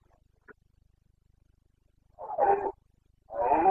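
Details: Carpathian red deer stag bellowing in the breeding season, Bucovina mountains, Romania, 29 September 2022; a brief faint click, then two deep, raspy roars in quick succession, the second cut off at the end.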